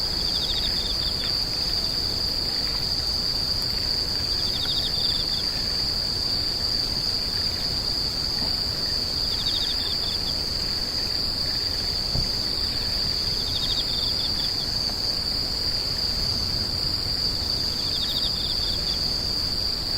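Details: A constant shrill insect trill runs through the whole recording, with short rapid chirp bursts slightly lower in pitch repeating roughly every three to four seconds, against faint low background noise.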